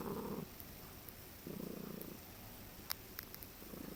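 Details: Keaton, a relaxed pet cat lying on a person's chest and drooling, makes a strange sound between a purr and a trill: low rattling bursts, one at the start, one in the middle and one at the end, with quiet gaps between.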